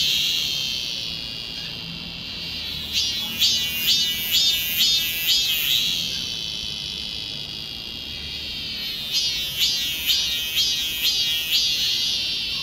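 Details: A cicada in a church garden in Korea on 28 July 2020, midsummer, gives a high, shrill, steady buzz broken by bursts of rapid rising pulses.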